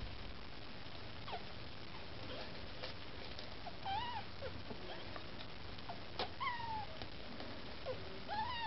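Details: Maine Coon kittens with their mother Lakshmi, trying to get food: several short high mews with arched, bending pitch, spaced a couple of seconds apart, over a steady low room hiss.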